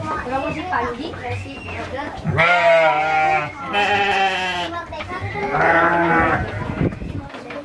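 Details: Garut sheep at a Cilawu farm in Garut, West Java, giving three strong, quavering bleats in quick succession over people talking in the background.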